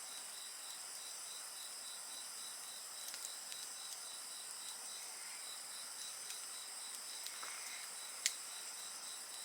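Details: High, steady insect trilling with a fast rhythmic pulse, the fire at a bonfire adding only scattered faint crackles and one sharper pop late on.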